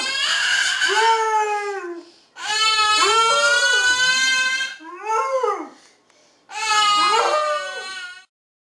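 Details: Dora the Basset Hound gives a string of drawn-out howls, each sliding up then falling with a wavering, crying quality, one shorter yelping rise in between, separated by short pauses.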